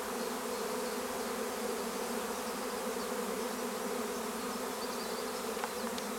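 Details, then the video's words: Swarm of honeybees at Longué-Jumelles, France, being coaxed to cluster: a steady, dense droning hum with a strong low tone and harmonics, unbroken throughout, with a faint voice nearby. "Essaim d'abeilles"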